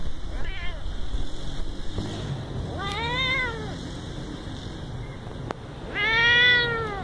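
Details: A very small pet cat gives three arched meows, each rising then falling, the last one loudest and longest, against constant low-pitched background hum and a single sharp click.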